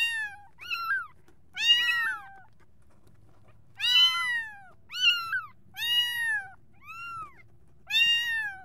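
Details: Kittens meowing for their mother, with a short clipped cry followed by longer arched meows at irregular intervals, some bending up and down mid-call, against a soft low background rumble.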